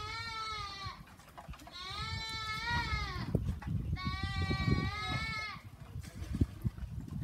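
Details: Three drawn-out quavering bleats from goats kept on a farm, each lasting about a second, over heavy low rumbling and clattering noise.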